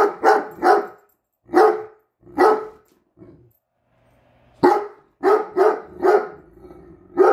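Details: A Great Dane gives deep, booming barks in short bursts, some paired, with brief pauses between, objecting to a measuring tape held by its owner.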